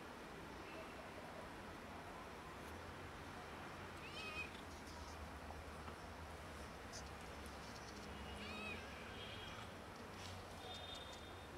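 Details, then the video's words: Pregnant cat and kitten asking for food with broken meows: two short, high, wavering mews several seconds apart, the second followed by a brief squeaky call, over constant low rumbling background noise. "Pregnant cat and kitten ask for food with broken meows"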